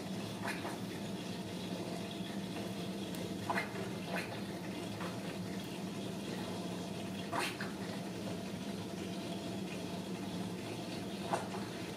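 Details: Indoor room tone of running or filling water with a low steady hum and scattered soft clicks and taps, and no animal voice.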